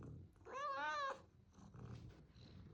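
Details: Orange domestic cat, a young male pet indoors, gives one drawn-out meow with a rising-then-falling harmonic contour lasting about half a second, clear and loud, followed by quiet room noise and faint background voices.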